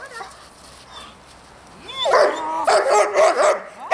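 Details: Barking dog used as a distraction in dog training; two quiet seconds, a rising whine, then a run of rapid, harsh barks close together toward the end.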